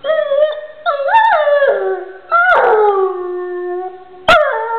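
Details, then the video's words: A pet dog gives sustained howls: steady mid-pitched tones that bend upward, then sag and trail off, with four drawn-out phrases and a brief sharp click near the end. "howling dog"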